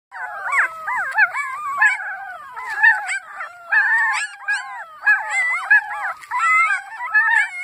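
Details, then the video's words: Puppies belonging to Annie howling together, overlapping wavering high-pitched howls that rise and fall and bend in pitch, several voices at once with short yips breaking through the chorus. "Annies puppies howling"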